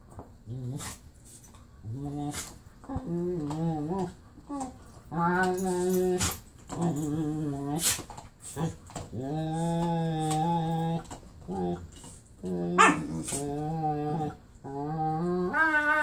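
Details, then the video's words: Pit bull Marley at play in a small room with his foster sister, whose Wookie-like voice comes as a string of short and longer moaning growls, some wavering in pitch, broken by sharp clicks and scuffling noises. "Marley plays with his foster sister (she sounds like a Wookie!)"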